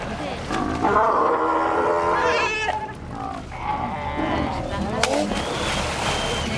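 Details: Sea lions at Ushuaia, Argentina, call in loud, quavering, buzzy bleats that sound remarkably goat-like, several voices overlapping in a steady, crowded chorus.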